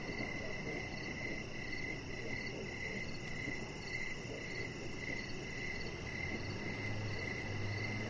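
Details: Crickets calling outside at evening near a deck with a resting chihuahua; rapid high pulsed chirps, slightly irregular, run throughout above a dense low background murmur.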